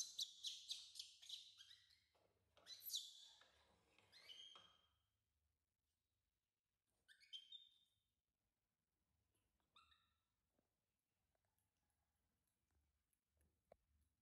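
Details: Baby monkey crying loudly for its mother's attention: high, shrill squeals in quick bursts during the first five seconds, then a few short, sharp chirping cries with long quiet gaps between them.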